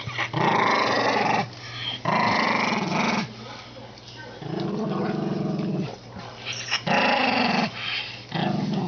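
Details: An ageing, senile Toy Poodle gives harsh, throaty growls in sustained bursts of one to two seconds, separated by short quiet gaps, indoors.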